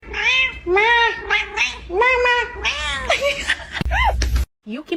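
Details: A cat meows repeatedly in quick succession. The calls are drawn-out, wavering and slightly rising then falling, followed by a sharp thump and a brief pause before one last short meow.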